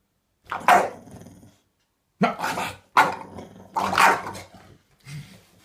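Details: Bulldog's gruff, throaty barks come in quick succession, four loud rough woofs each trailing into a short growl, with a softer final bark.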